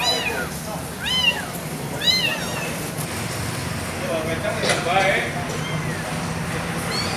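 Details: Abandoned kitten crying outdoors with high, arching meows, several in the first two and a half seconds, then a softer stretch with voices and faint traffic, and one more meow at the end.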